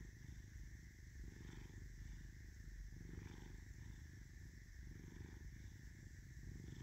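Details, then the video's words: Low, continuous purring from Caesar, a pet cat marked with an M on his forehead, the rumble swelling and easing in breath-paced cycles of about a second over a soft constant hum. "SOUND UP for purring goodness"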